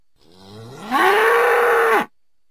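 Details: Domestic bull (Bos taurus) giving a single moo that starts low, rises into a loud, steady, strained tone held about a second, then cuts off abruptly; nothing else audible.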